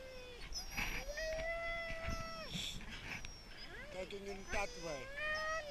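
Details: Huskies in Lapland during a brief sled stop, complaining and eager to go on: long drawn-out whining howls, some flat and sustained, others sliding up and down, several dogs overlapping, with a man speaking briefly.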